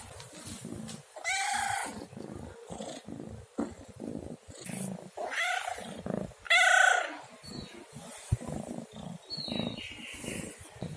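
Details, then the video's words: Domestic pet cat giving a series of about four meows, the clearest a loud, rising-then-falling meow in the middle, with quieter mews between stretches of faint indoor background noise. "SUARA KUCING MENGEONG | Cat Meowing Sound"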